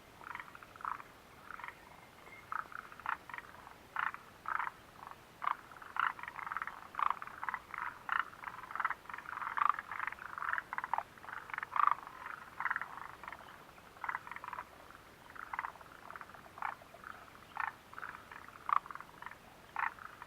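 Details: Frog chorus recorded 29 June 2013 at the Mitsuishi refuge hut: continuous short, grating croaks from several animals, irregular and overlapping, with occasional louder pulsed calls standing out against soft background hiss.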